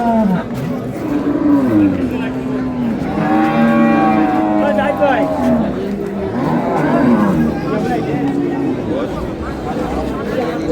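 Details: Improved-breed dairy cows and calves at Ambari cattle market, 15 April 2026; overlapping deep moos, with one louder, brighter bellow in the middle and sliding calls later, over voices of buyers and sellers.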